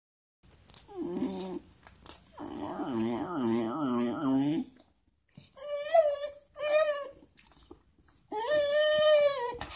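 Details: Talkative Welsh Terrier makes long, wavering, moaning howl-like vocalizations in several bursts, with warbling pitch slides and whiny high whimpers in between.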